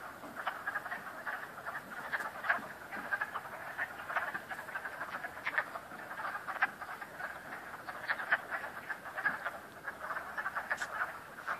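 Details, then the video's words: A dense chorus of frogs croaking at Cranberry Lake, with many overlapping rattling calls and no break. "Frogs croaking at Cranberry Lake"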